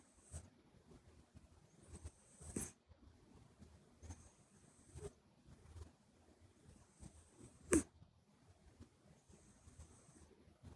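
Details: Nose-whistling snores from Buri, a pet Minuet kitten with a flat nose, sleeping in close-up; regular breathy rasps with a shrill whistle on each breath, about five in ten seconds, and one brief click.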